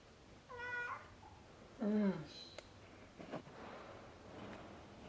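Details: Ailing female domestic cat (Filipino 'puspin') filmed indoors at 7:38 PM on 21 October 2021, two days before dying of pyometra, the day she stopped drinking water; gives two meows, the first higher and clipped, the second lower, louder and falling, then faint rustling.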